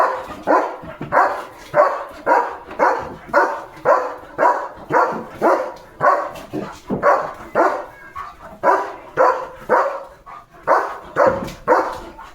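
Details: German Shepherd on village farm guard duty in the morning, barking at cattle, vehicles and dogs; loud, harsh barks repeated steadily about twice a second in a long unbroken series.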